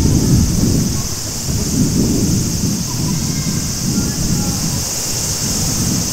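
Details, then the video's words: Cicadas buzzing in summer at Maruike Pond, Mt. Kirishima, Japan: an unbroken piercing drone sits above loud, rhythmically gurgling stream water. "ASMR Summer Sounds in Japan -Cicada & Clear Running Water Stream"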